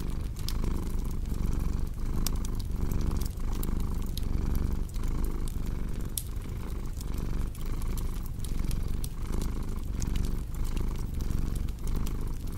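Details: Relaxed cat purring in a deep, even rumble that rises and falls with its breathing, while a cozy fireplace crackles and pops alongside.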